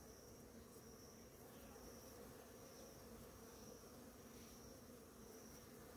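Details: Numerous bees visiting blossoming ora-pro-nobis flowers in the morning, heard as a steady, thick droning hum of many wings, unbroken and even in loudness, with a thin constant high tone in the background.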